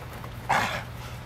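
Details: A German Shepherd gives one short, sharp bark, loud at the onset and fading fast, over a low background hum, with a person speaking nearby; finding: German Shepherd.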